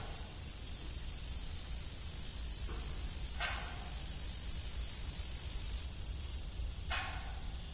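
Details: Evening crickets at an old farm with a broken windmill, a dense high-pitched trilling that runs without pause and grows louder midway, while a few short creaking squeaks sound at intervals.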